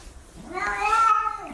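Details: Domestic cat indoors giving a single drawn-out meow lasting about a second, a harmonic cry that rises, holds steady, then falls away at the end, over a low rumbling background.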